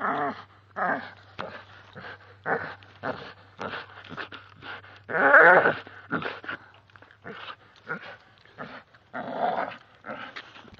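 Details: Oreo, a two-year-old male American Staffordshire Bull Terrier, growls while ripping down a tree indoors, uttering short rough bursts in quick succession with brief pauses, some longer and louder, as a person cheers him on.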